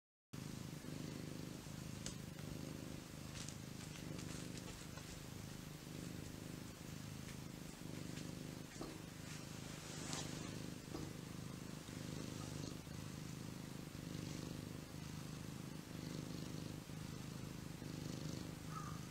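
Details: Lazy cat lounging; a steady, low rumbling purr runs throughout with a faint rhythmic pulsing, under a constant background hiss and occasional small clicks.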